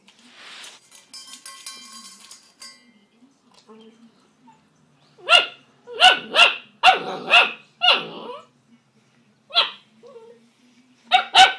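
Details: Greater Swiss Mountain Dog puppy, 10 weeks old, upset at feeding time by his own reflection in the bowl; soft rustling, then loud high barks in quick bursts, several close together, with brief pauses between.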